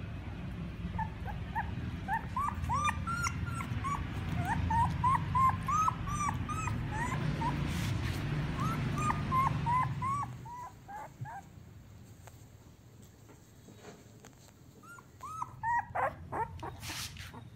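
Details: Several Siberian Husky puppies from an eight-pup litter in Remels, Germany, whining together in a chorus of short, high, upswept squeaks over a steady low hum, which drops away midway before a few louder whimpers return.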